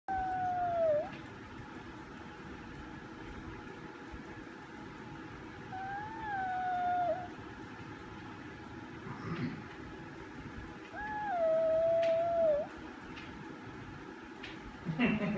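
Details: Romeo the chihuahua howls, 'singing the song of his people': three drawn-out, wavering tonal howls at mid pitch, each sliding and dipping at its end, separated by quiet stretches with faint room noise.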